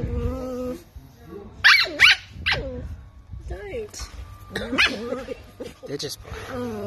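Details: Toy poodle named Mika barking in short, bright bursts, a quick pair early, then more yaps with a slight growly edge, amid frequent human talking.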